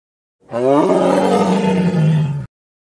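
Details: Tiger (Panthera tigris) in the wild gives a single deep, rasping roar lasting about two seconds.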